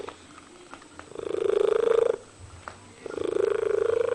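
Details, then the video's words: Singing house cat giving two prolonged, steady meows that climb slightly in pitch, separated by about a second of quiet indoor background. "Singing Cat"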